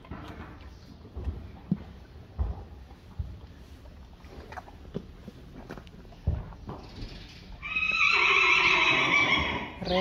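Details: Friesian horse colts, among the 25 Friesian horses of a farm, biting and playing together. Scattered soft thuds and brief Dutch speech, then a loud, sustained, harmonic-rich whinny near the end, cutting off before a short final burst.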